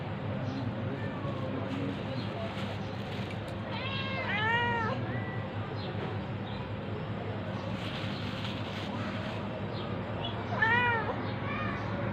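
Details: Tabby cat attacking a ginger cat: two bursts of loud, wavering, arched meowing yowls, one near the middle and a shorter one near the end, over a steady low mechanical hum and background rumble.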